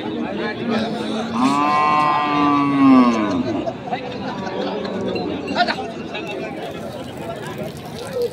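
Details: Cattle for meat at the Ambari haat livestock market in Parbatipur, Dinajpur, a market held on Fridays and Mondays. One long, drawn-out moo lasts about two seconds, steady and then falling. Crowd chatter and human voices run throughout.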